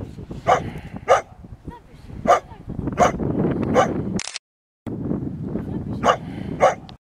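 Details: A dog barks in short bursts while playing with a stick by water, roughly every half second to second in two runs separated by a brief silence, over steady rushing wind or water noise.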